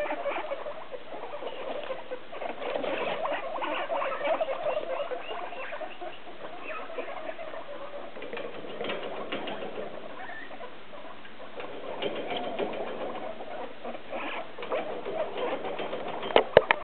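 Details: Hungry caged guinea pigs, a group of six expecting dinner soon, keep up a steady busy chatter of squeaks and chirps that swells and fades, with rustling and a few sharp clicks at the end.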